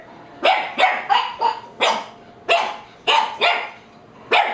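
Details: Two pet dogs barking at a parrot they seem afraid of, indoors; a run of about ten sharp, loud barks spaced roughly half a second apart, each a short broadband burst.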